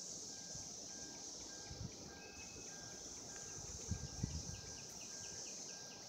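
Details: Mating cicadas in 2016 keep up an unbroken shrill hum, while faint scattered chirps and some low rumbling sit beneath the drone.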